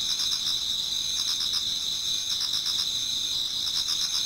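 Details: Towards dawn in autumn, numerous insects sing in a Japanese garden, giving a bright, even, high trilling with quick repeated pulses and no pauses.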